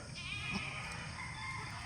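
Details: Newborn goat kid, one of two moved down from a raised pen because the little kids kept slipping, recorded at 7 in the morning on January 25; a short, high, wavering bleat rises over a steady background hiss.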